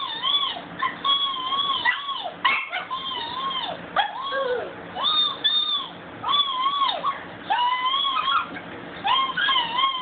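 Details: Domestic dog howling on a phone recording: repeated arching, wavering howls, each bending up then down, delivered in bursts about a second long with short gaps, plus a few yelping notes.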